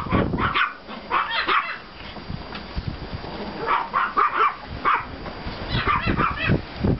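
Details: Several Pomeranian and klein spitz puppies out in the yard after a snowfall, 5 April 2014, firing short high-pitched barks in bursts separated by brief quiet gaps.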